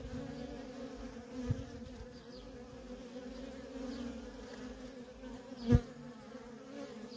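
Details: Continuous drone of many worker honey bees coming and going at a wild feral colony, even low-pitched buzzing throughout, with two brief thumps near the start and end.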